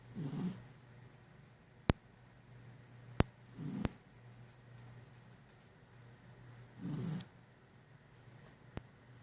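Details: A cat sleeping after lunch gives three rasping snore breaths at roughly three-second gaps, low and airy with a light hiss, between quiet stretches; a steady low hum and several sharp ticks sound in the room.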